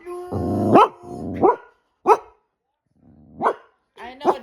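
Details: Pet dog 'talking' back to its owner, with low groaning, growly moans breaking into sharp rising yelps, about four separate utterances, as a woman tells it to stop being nosy.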